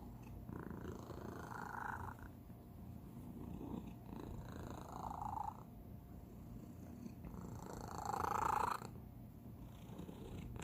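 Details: Pet cat giving a distinctive, out-of-the-ordinary purr indoors; steady low pulsing rumble broken by rhythmic breathy swells every few seconds, one louder rasping burst near the end.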